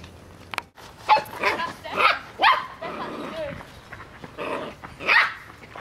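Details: Six-week-old Australian Shepherd puppies on their first outing into the wide world, giving several short high yapping barks spaced about half a second to a second apart, with human voices talking over them.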